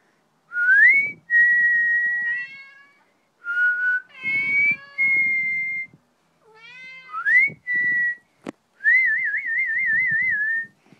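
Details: Mitz, a male Maine Coon indoors, meowing loudly as he follows a person whistling; steady whistled notes alternate with his rising, harmonic-rich meows, one whistle wavering at the end.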